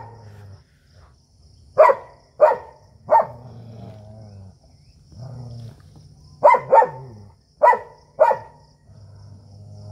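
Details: Indian native dog facing a German Shepherd in a fight: pairs of loud, harsh barks spaced every second or so over a continuous low, droning growl.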